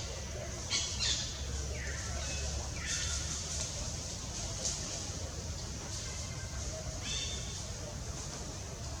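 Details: Baby monkey Gavin crying loudly for help as his mother Bonita weans him, in forest in the Angkor Park area; thin high cries sweep downward, heard in a few bursts over steady outdoor background noise.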